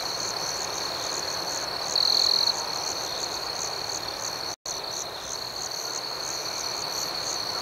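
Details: Night chorus of crickets, a continuous shrill trill with fast regular pulsing above it, one brief louder chirp near two seconds, and a sudden split-second silence midway.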